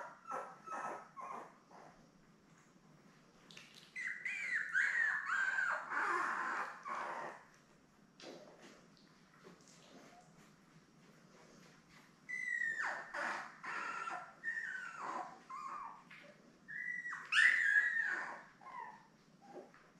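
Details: Newborn Labrador Retriever puppies, a litter of seven born May 24, 2021, with their mother Belle on a live puppy cam on June 3. Bursts of high, squealing whines come in two spells, separated by near silence and faint ticking.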